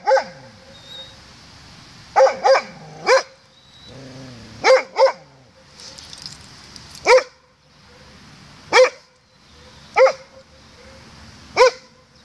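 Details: Morning barking from a Doberman answering its echo, 16 May 2016 at 07:18: about ten loud, rough barks, some in doubles and triples, others single, at irregular gaps in otherwise quiet surroundings.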